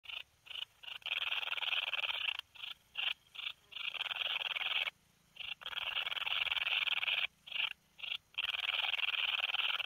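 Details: Two-coloured bush-cricket singing at Breitenbrunn, Austria, on 13 July 2020; long dense buzzing trills broken by short gaps and brief chirps, high-pitched and continuous for several seconds at a time.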